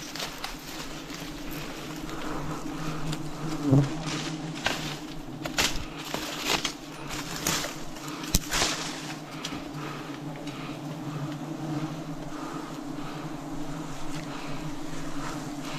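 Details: Steady hum of wild bees at a forest honey harvest, an even low drone that carries through the whole stretch, with scattered taps and rustling from the harvest work.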